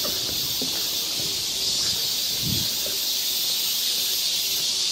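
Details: Cicadas massed in a forest at Galsan Park in Seoul, South Korea, during summer, give an unbroken, high, sizzling drone. A brief low thump near the middle sits under the steady insect chorus.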